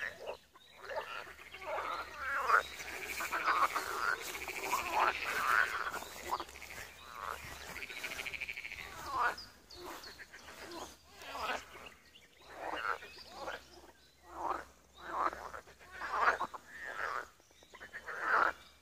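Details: Pond frogs in Wiry, Poland, forming a dense rattling chorus that thins into separate croaking bursts repeated every second or so, with faint high bird notes in the background.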